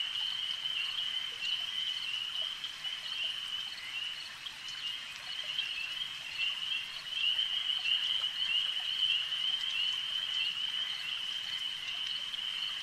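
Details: Massed frogs at a lake keep up a constant high trilling hum with irregular pulsing, growing slightly louder in the second half, over soft watery background noise.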